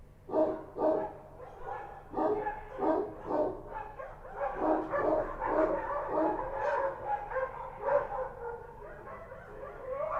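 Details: Kochi street dogs barking at night in Kabul, Afghanistan: short, harsh barks in quick bursts of two to four, about two per second, with some overlapping barks from several dogs. Low background hum throughout.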